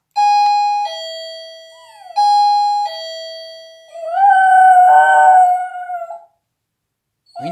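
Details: A dog being taught to howl answers a two-note doorbell chime rung twice with a drawn-out howl that climbs and holds a quavering tone, then a brief bright sound at the end.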